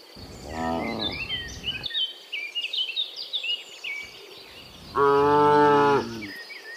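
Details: Cows walking home from the fields to the pen in the afternoon; two harmonic moos, one short and one long and strained, with chirping birds above and a quiet background between calls.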